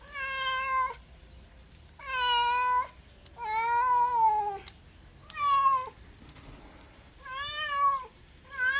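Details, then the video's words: Domestic cat giving a run of about six clear, tonal meows, some sliding slightly downward at the end, with short silences between them and the last call cut off. "SOUND CAT - MEOW CAT"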